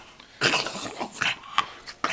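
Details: English bulldog playing on a bed indoors: about five short, snuffly, rough grunting bursts within two seconds, with brief sharp squeaky touches, in a small room.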